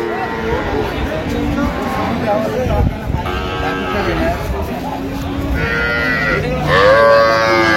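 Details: Cows with calves at Ambari Haat livestock market in Dinajpur, Bangladesh, 31 October 2025: several drawn-out harmonic moos rise and fall, the loudest near the end, over steady crowd chatter and market noise.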